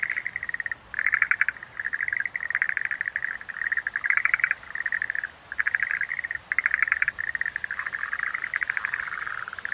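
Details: Schlegel's green tree frogs give bursts of fast, chuckling pulses, each lasting under a second, several frogs alternating so the calling barely pauses; no other sounds stand out.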